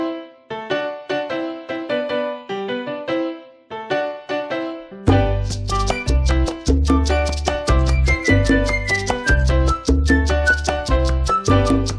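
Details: Upbeat Latin-style piano music fills the whole stretch, first a light keyboard riff, then a fuller band with a thumping bass beat; no animal voice stands out.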